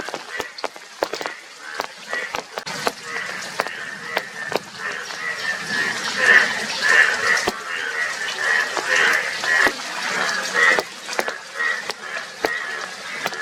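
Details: Chorus of Indian yellow bullfrogs, yellow with blue cheeks. Rough, duck-like croaks repeat roughly twice a second and swell louder mid-clip. Scattered sharp clicks and a constant hiss run underneath.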